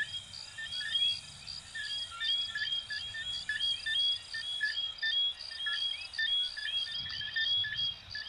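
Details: Many coquí frogs of Venezuela and Puerto Rico calling together, a continuous layered chorus of bright chirps and quick rising whistled slurs, with a soft low rumble near the end.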